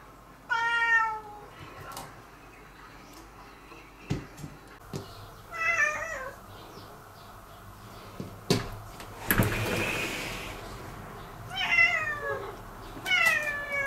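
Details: Spring meows from cats, domestic and feral, near a house; separate harmonic calls spaced several seconds apart, sliding downward, with a brief rustle and a person speaking afterwards.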